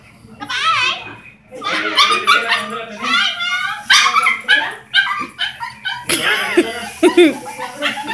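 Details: A Chihuahua yowls in high, wavering whines that rise and fall like a tune, sounding as if he is singing the Digimon theme song; recorded August 8, 2018.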